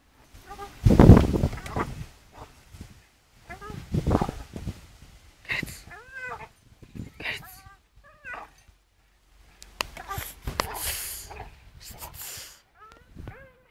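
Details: Staffordshire Bull Terrier named Charlie swinging on a rope, giving short, arching, high whines in clusters of two or three, interleaved with human voices and rustling bursts.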